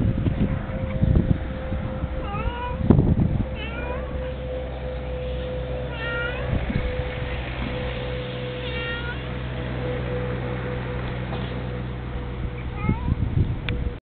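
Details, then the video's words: Young male cat seeking attention with short, fairly quiet meows that rise and dip, spaced a second or more apart, over a steady electrical hum and low background talking. "Kitty wanting attention"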